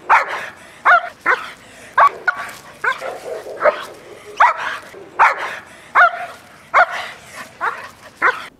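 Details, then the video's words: A female dog with dog-to-dog aggression, reacting when she sees dogs outside on the streets, barks in sharp, harsh bursts, roughly fifteen over nine seconds, some coming in quick pairs, with quiet gaps between. "Dog to Dog Aggression"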